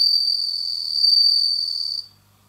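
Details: A bell cricket kept indoors, newly singing in autumn, gives a bright, high, continuous ringing trill for two seconds, then stops abruptly into quiet.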